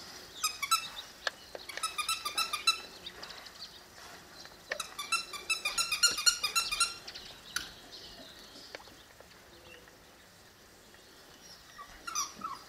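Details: Six-week-old Presa Canario puppies whimpering in rapid strings of high, squeaky yelps, two busy bursts of overlapping cries, then fading to sparse faint squeaks with a last short whine near the end.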